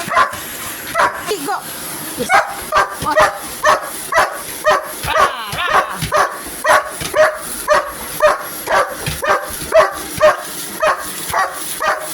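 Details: Pet dog barking at a running vacuum cleaner indoors: rapid, regular bark bursts about twice per second, each sharp and mid-pitched, continuing steadily through the clip with brief human voice and household noise in the background.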